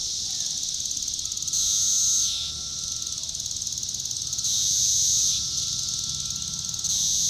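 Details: Periodical cicada Magicicada cassini, Brood IV, in Shawnee Mission Park, Kansas, on June 5, 2015, its tymbal vibrating: two strong shrill buzzes about three seconds apart, each sliding down at the end, set against a constant high-pitched chorus of other cicadas.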